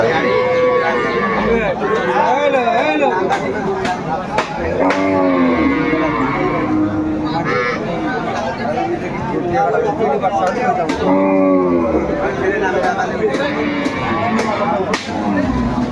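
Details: Cows with calves at Aftabganj livestock market in Dinajpur, Bangladesh, on 25 May 2024, giving repeated drawn-out, bending moos over each other, amid men's haggling voices and busy market chatter.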